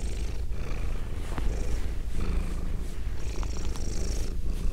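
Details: Female domestic cat purring, recorded binaurally at close range; low rumbling drone with uneven breathy bursts and a few faint clicks, possibly licking or petting.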